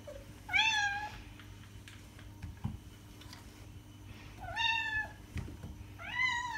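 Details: House cat repeating a clear meow three times, each rising and then falling, separated by roughly four-second gaps. The room is otherwise quiet apart from a low hum and a couple of soft knocks.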